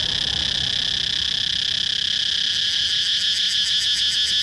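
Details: Shrill cicada drone that holds steady, then turns into a rapid pulsing throb in its upper part toward the end, over faint low background noise.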